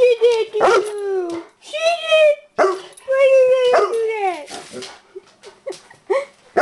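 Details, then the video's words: Bernese Mountain Dog upset about the mail lady, mixing short yips and barks with wavering howled phrases that slide downward, delivered in quick irregular bursts. "Bernese Mountain Dog Conversation"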